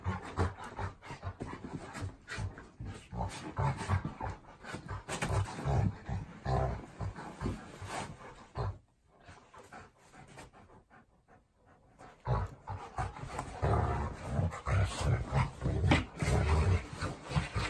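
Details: Sam, a Golden Retriever, and Tucker, a Labrador, fight each other at home: dense low growling and panting, a brief quiet pause midway, then the rough snarling scuffle resumes.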